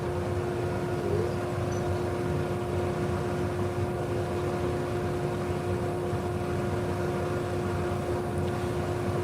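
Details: A steady machine hum with a constant tone over broadband noise, with no animal sounds.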